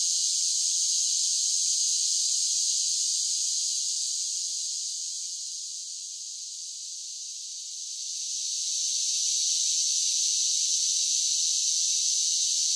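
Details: Cicadas in summer producing a constant shrill, hissing drone; the chorus dips softer for a few seconds in the middle, then rises again to a full, steady buzz. No other sounds stand out.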